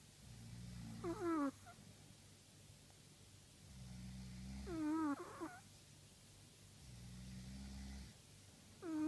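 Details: Sleeping Chihuahua snoring: a low droning rumble on each inhale alternates with a high, falling whistled wheeze on the exhale. The breathing cycle repeats roughly every four seconds in an otherwise quiet setting.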